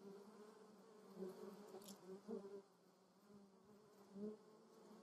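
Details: Honey bees and other insects visiting lavender in Moseltal, Germany, make a steady, low, humming buzz that swells and fades as they fly close and away.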